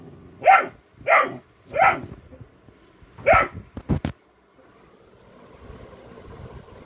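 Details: Alert golden retriever puppy pranked at home barks four times in quick succession, then a few sharp clattering knocks follow before a quiet stretch of low room noise.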